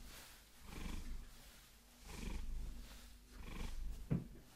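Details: Vasilisa, a Maine Coon, purring during a long-nail massage: soft low rumble rising and falling with each breath, about four swells, with a brief sharp tap near the end.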